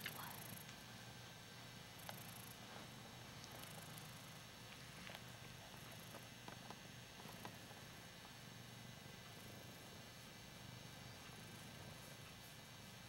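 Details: Hoss, a Ragdoll cat, purring indoors while enjoying being adored and having his chin scratched; a continuous low rumbling purr runs through the whole stretch, with faint scratching clicks and soft rustles on top.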